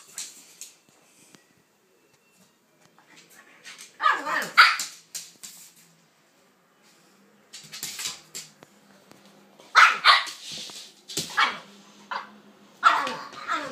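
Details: Indoors, two dogs, Kaiser the pitbull and Viki the King Charles spaniel, play together. Sharp, rasping barks arrive in irregular clusters, with a quiet gap of several seconds in the middle, then a run of quick harsh barks.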